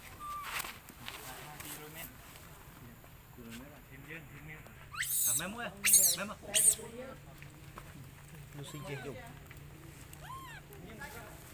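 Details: Baby monkey Leo, also called Rainbow, crying as it begs its mother for milk and is refused. Thin arched whines are scattered throughout, with a cluster of loud, harsh shrieks in the middle over a steady low hum.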